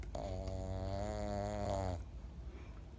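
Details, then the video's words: Twelve-year-old Pekingese named Momo snoring while asleep, a single long droning snore of about two seconds with a steady buzzy harmonic tone, then quiet breathing noise. "ペキニーズ モモ12歳 いびき怪獣"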